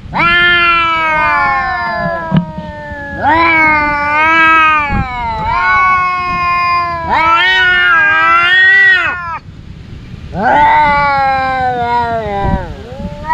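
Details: Two brother cats fighting, one of their everyday scuffles, with a string of loud, quavering yowls roughly every two to three seconds, each drawn out and bending in pitch, some ending in abrupt downward dips.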